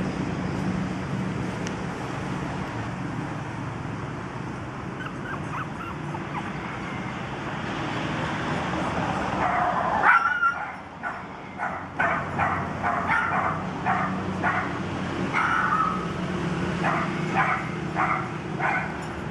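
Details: Toy poodle puppies, 45 days old, running and playing; a run of short, high yips and whimpers repeats quickly through the second half, over a steady background rumble.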